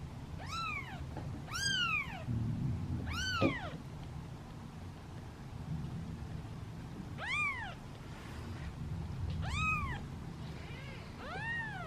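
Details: Seven hungry kittens wait in a basket at feeding time, meowing impatiently: clear, bright, arching meows repeated in pairs and triplets every second or two across the clip, over a low background hum.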